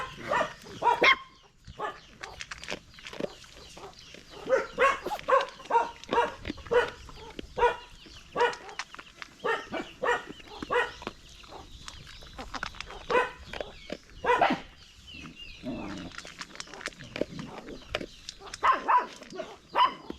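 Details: Dog giving a busy run of short, mid-pitched harmonic barks and yelps in uneven bursts, sometimes clustered, sometimes spaced by brief pauses, continuing for about twenty seconds with light background noise.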